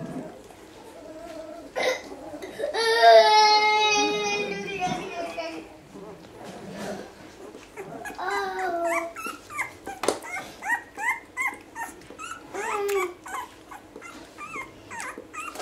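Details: Basset Hound puppies one week old: a single loud, sustained wailing cry of about two seconds, then a run of quick, short, rising squeaks and whimpers repeated several times a second.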